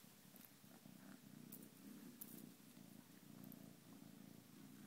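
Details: Ginger foster kitten purring while playing indoors: a steady low rumbling purr with gentle rhythmic pulsing, broken by a few faint high clicks and rustles.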